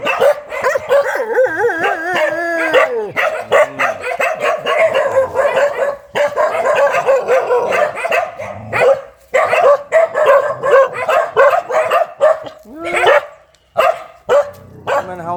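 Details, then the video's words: A very fierce dog barking almost without pause for fifteen seconds, loud harsh barks packed tightly together, some with rising yelping edges, a brief gap midway before the barrage resumes. "เสียงหมาเห่า หมาดุมาก"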